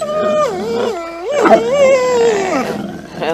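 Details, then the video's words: Two pet dogs "talking" as if trying to communicate with their owners: drawn-out, howl-like moans that slide up and down in pitch in several wavering phrases, with a person speaking faintly. "Talking Dog Talking Dogs Talking like humans"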